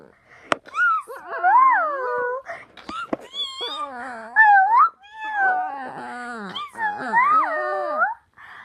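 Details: Pet dog making noises at its owner indoors: a run of wavering, whiny moans that slide up and down, several drawn-out yowls broken by short gaps and a few sharp clicks.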